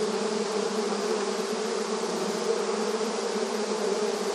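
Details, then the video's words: Many honey bees busy at their beehive entrance in a rural setting; a dense, steady low hum with layered overtones drones on without pause, its loudness nearly constant throughout. "Relaxing Bee Sounds 1 Hour • Bees Buzzing Sound Effect • Beehive Entrance Video Honey Bee Activity"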